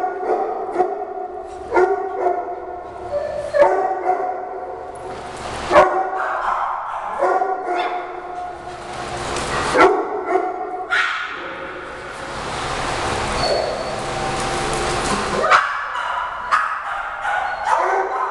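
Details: Several Shih Tzu dogs in a mock fight as Heidi protects newly arrived Frida; repeated bursts of high yapping barks and growly yips throughout, overlapping voices of the pack.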